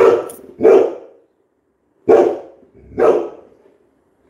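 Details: Labrador Retriever giving loud, gruff barks, four bursts spaced one to two seconds apart with quiet gaps between, no other clear sounds.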